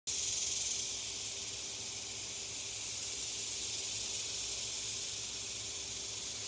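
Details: Cicadas in Oklahoma fill the air with a steady, high, hissing drone that never pauses.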